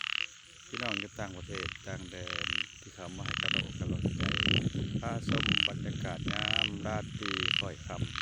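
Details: Frogs call at night in a steady series of short buzzy bursts, roughly one per second, each with a whistled tone inside, layered over a dense mix of lower warbling croaks.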